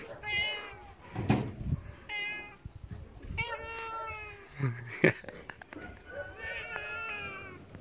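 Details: Male pet cat, called a little tiger cat, angered during play, uttering four long, wavering meows at roughly one- to two-second gaps, each bending up then down in pitch, alongside faint human voice and handling noises.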